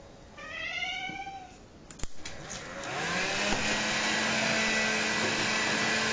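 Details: Bengal cat named Fuku, who loves the vacuum cleaner, meowing indoors to urge play with it: one drawn-out, arched, harmonic meow, then a clatter and the roar of a vacuum cleaner starting up.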